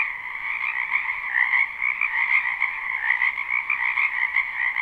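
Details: Many frogs calling together in a spring wetland behind a home, recorded live: a thick, ceaseless wall of high trilled croaking with small swells in loudness, nothing else audible.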